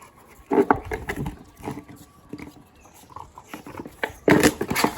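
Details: Boerboel dog playing with a noisy toy: short rough growly vocal bursts around half a second and again near four seconds, mixed with squeaks, rattles and thumps from play indoors.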